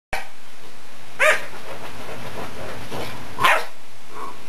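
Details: Pet dog barking and howling at fingers running across a couch: two sharp barks about two seconds apart over a steady background hiss, with a fainter short yelp near the end.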